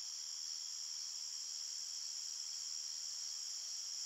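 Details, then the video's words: A night forest full of chirping crickets, heard as a continuous shrill shimmer that holds the same pitch and level from start to finish, with nothing else audible. "Crickets Chirping Sounds"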